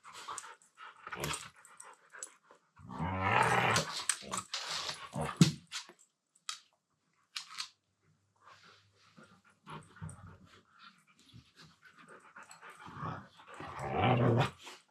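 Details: Two Siberian Huskies wrestling playfully in a room, one talking with a low-pitched voice: bursts of grumbling, growly vocalizing mixed with scuffling and rustling, a louder voiced stretch early on and another near the end.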